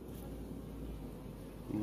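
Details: Honey bees (Apis mellifera) in a backyard hive while a beekeeper inspects the colony and removes queen cells; a steady low droning hum runs throughout, with a brief louder knock near the end.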